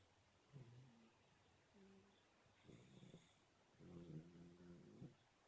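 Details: A black Shar Pei puppy snoring in its sleep. Soft, faint snorts and low humming breaths come in short bursts, with a longer rattling snore near the end.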